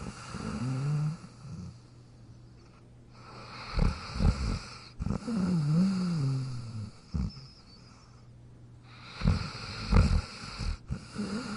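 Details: Jack the dog asleep in his dog bed, snoring with low rumbling breaths in uneven bursts, some rough and snorting, others with a wavering nasal tone, separated by quiet pauses over a steady background hum.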